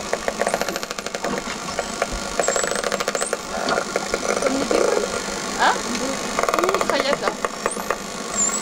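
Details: Underwater dolphins, heard by children on a week-long marine outing, give rapid popping, crackling click trains like a machine gun, with thin whistles sliding above that the listeners take as dolphins talking to each other.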